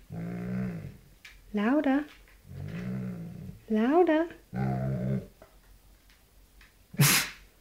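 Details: Doberman named Prince growling indoors after stealing another dog's treats. Low, rumbling growls come in bursts of about a second, alternating with higher, rising whiny vocal sounds, while a woman talks to the dog between growls.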